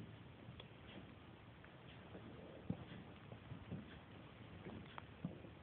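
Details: Hiccups from Riley, a five-and-a-half-week-old Pungsan puppy: three brief muffled hics spaced about a second or more apart over a steady low indoor hiss.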